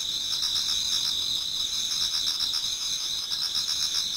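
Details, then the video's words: Garden insects of autumn in Japan near daybreak, several singers overlapping; shrill continuous trills plus quick pulsed chirps repeating roughly four times per second, forming a steady bright wall of sound. "Autumn Insects voice Towards dawn"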